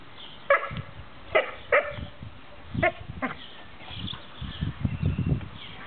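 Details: A Thai Ridgeback dog with its mother. About five short, sharp barks come singly and in close pairs during the first three seconds, then fainter rumbling and muffled handling noises follow.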